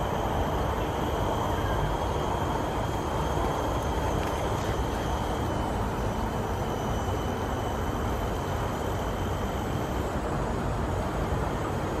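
Steady low rumbling noise like a passing train or traffic, with faint high hums and no animal calls heard.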